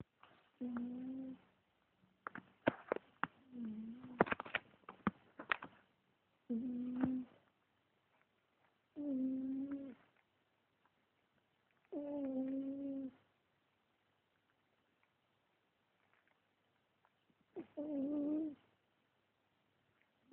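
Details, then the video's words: A sleeping cat snoring: steady hummed tones, each about a second long, repeat every few seconds, with scattered clicks and rustles between the early breaths in a quiet room. "The Snoring Cat"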